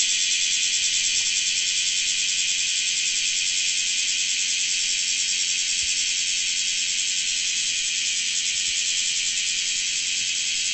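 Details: Loud, ceaseless buzzing sizzle of a large brown cicada (Graptopsaltria nigrofuscata), high and harsh, fading only slightly near the end, over a faint low steady hum.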